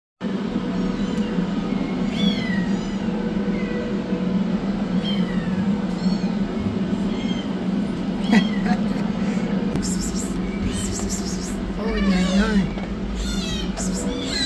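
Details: Rescued kittens, a yellow one running for food and a black one starting treatment, give repeated high arched meows with bright harmonics, clustering thickly near the end, over a steady low mechanical hum.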